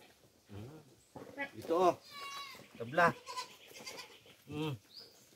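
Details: Farm goats fed coconut pulp in the Philippine countryside: several quavering, wavering bleats at about one-second intervals, overlapping a man talking nearby.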